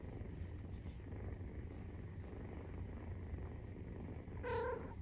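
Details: 43-day-old Maine Coon kitten purring while nursing: a steady, low, rumbling purr runs throughout, with a short, clear meow-like cry rising near the end.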